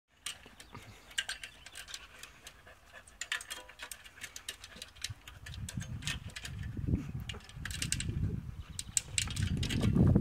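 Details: Three-year-old female American Staffordshire Terrier climbing a ladder, breathing in quick rough panting bursts that grow louder and heavier toward the end, with low thumps and rustling underneath.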